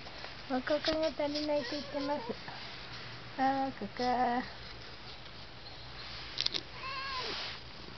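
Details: Domestic cat chattering to itself. Two bursts of short, clipped, repeated meows, several in quick succession each time, then a softer drawn-out rising-falling mew.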